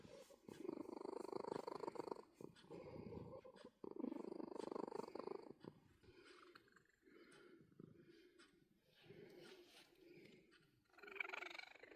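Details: Cat being booped purrs in rhythmic low rumbling bursts, strong at first then quieter and more broken, with faint handling noises and a short brighter sound at the end.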